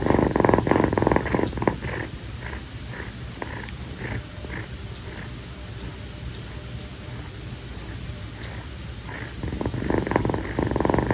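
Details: A rescued female calico kitten named Kii purrs while staying on her owner's feet at night after play. The rhythmic purring is strong at the start, fades softer through the middle, then swells again near the end, indoors.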